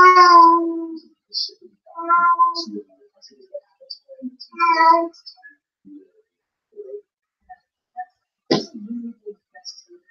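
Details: A female Blue Point Siamese cat, home alone and caught on a surveillance camera, gives loud, drawn-out crying meows after her owner leaves, as she does almost every time.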